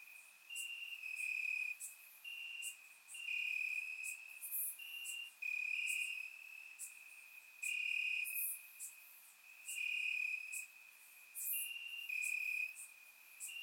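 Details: Crickets chirping in grass on a warm summer night in Bulgaria, caught with a surround microphone: a steady high trill with louder pulsing bursts roughly every second, several insects overlapping, brief higher ticks above, no other sounds.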